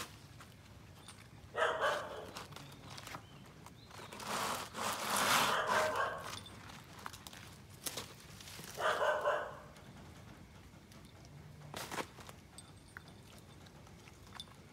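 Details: An Alaskan Malamute exploring around the house, walking past the gate for the first time, gives scattered short, broad, throaty woofing calls at irregular intervals, with soft rustling and footsteps between calls.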